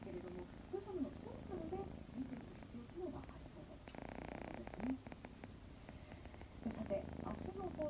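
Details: Scottish Fold kitten purring while asleep indoors, its purr sounding like snoring. A low, steady rumbling runs throughout, with a television news broadcast's speech clearly audible in the background.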